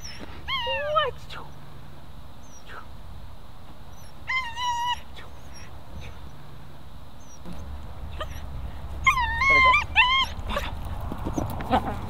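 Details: A 10-week-old female German Shepherd puppy whimpers during protection training. She gives three short bursts of high, thin, wavering whines and yips, spaced several seconds apart, over a low background rumble.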